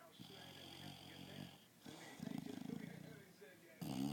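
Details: An English Bulldog snores in low, rattling, rhythmic pulses while asleep and dreaming during an afternoon nap.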